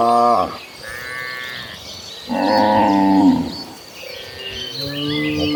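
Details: Gentle cows mooing while hundreds of cattle are herded toward green pasture: a short falling moo, a quieter distant call, then a long loud moo, and a low moo rising at the end, with chirping birds in the background.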